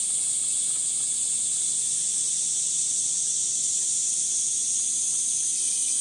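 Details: Loud cicada chorus, Gifu Prefectural Centennial Park, Japan, 23 July 2026, between 9:30 and 11:10 in the morning, 37°C, under dappled sunlight: an intense, shrill, rapidly pulsing whine holding constant throughout, nothing else clear.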